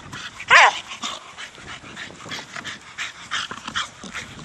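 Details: A four-year-old Staffordshire Bull Terrier playing with a big hard plastic ball gives one sharp, loud bark early on, followed by quieter rustling and breathy noises from the play.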